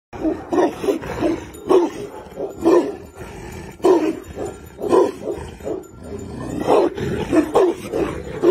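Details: Tibetan Mastiff barking: deep, harsh, throaty barks repeated about every half second to one second in irregular bursts over eight seconds, with no other clear sounds.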